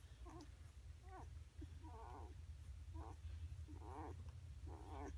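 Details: Eight-day-old AKC Basset Hound puppies give thin, wavering whines and squeaks in short repeated bursts.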